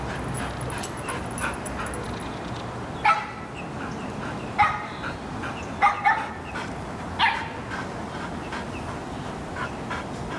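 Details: Golden Retriever during week one of obedience boot camp: a few isolated sharp barks and yips spaced a second or more apart, with faint background hiss in between.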